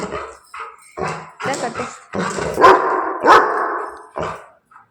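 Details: Labrador Retriever barking indoors, with two sharp, loud barks near the middle amid continuous Telugu speech from people nearby.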